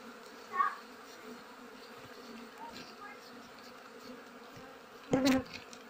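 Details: Honey bees droning steadily as beekeepers harvest their nest during the flowering season, a low humming hive buzz with layered tones, a brief knock near the end and faint speech.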